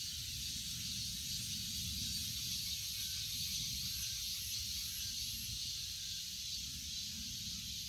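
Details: Continuous cicada singing, a loud, even, high-pitched sizzle with a thin whine above, and low background rumble.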